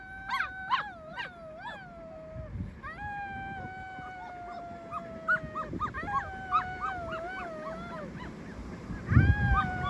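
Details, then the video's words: Young rescued wolves give a quieter chorus of thin tonal howls, some voices wavering and dipping, others held level, over a low rumbling background noise with a loud thump near the end. "ВОЙ ВОЛЧАТ"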